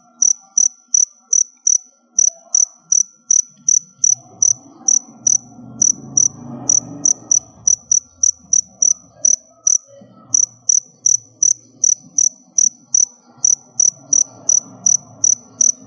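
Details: Store-bought crickets kept in a storage box as pet feed chirp in the background with steady, high-pitched pulses, and a faint low rumble lies beneath.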